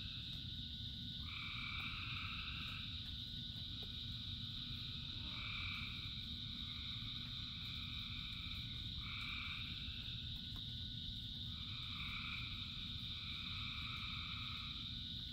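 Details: Thousands of frogs singing during rain: a continuous shrill chorus drone, punctuated by repeated two-pitched trilling bursts of one to two seconds each, about every two seconds, with steady rain hissing and rumbling underneath.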